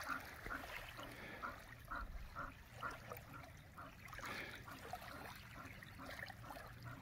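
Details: Swimming dog panting in rhythmic bursts about twice per second, short breathy puffs over steady trickling and lapping water.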